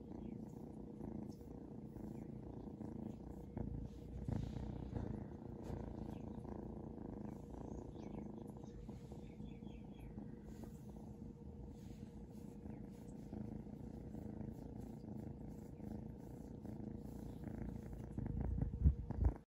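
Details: Being stroked, the Seal Point Ragdoll kitten Shadow gives a deep sustained purr, a dense rumble of rapid pulses that stays steady, swelling slightly louder toward the end, recorded close up indoors.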